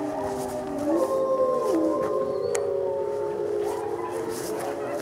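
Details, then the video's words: Group howl from gray wolves at a Colorado wolf and wildlife center, recorded during a full moon feeding tour in November 2013; layered long tones bend up and down, overlapping continuously, with a sharp click midway. "Wolf Howls! (Full Moon)"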